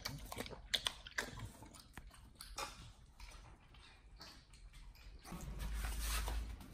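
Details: Raw-fed Pit Bull Nomyen biting through a whole Thai duck: a few loud crunching bites and softer wet chewing, then a steady low rumbling rush closing out the last seconds.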